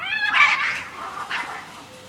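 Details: Cats outside a window, frightened: one loud, harsh yowl with a strong harmonic start that turns rough and noisy, then a shorter second cry.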